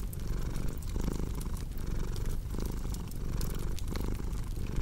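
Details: Purring domestic cat beside a cozy fireplace: a steady low rumble that swells and fades with each breath, roughly every 0.8 seconds, while sharp crackles and pops from the burning fire sound throughout.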